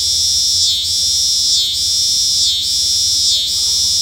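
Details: Loud, high-pitched cicada drone pulsing steadily, with a short dip in the buzz close to once a second, four cycles in a row.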